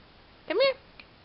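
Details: Four-month-old female American Bulldog puppy rolling over to play with a baby indoors gives one short, rising-then-falling whine, with a faint second note after.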